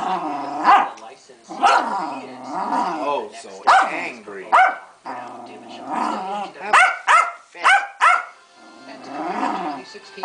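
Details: Female pet Keeshond throwing a hissy fit, letting out a run of harmonic, wavering growl-whines and yips in bursts of about a second, rising and falling in pitch, while a woman talks to her between outbursts.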